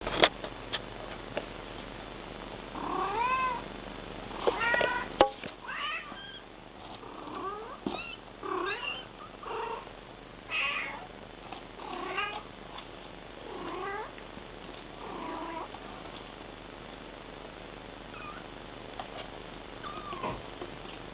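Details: Mother cat talking to her kittens: a series of soft, short, rising-and-falling meows and chirrups, spaced every second or two, over a low background hum.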